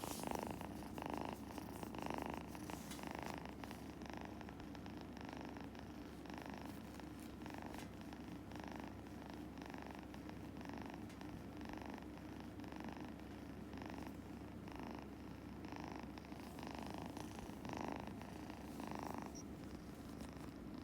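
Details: A stroked Scottish Fold kitten purrs steadily, the low vibrating drone pulsing in regular breath cycles of under a second throughout, with light handling rustles.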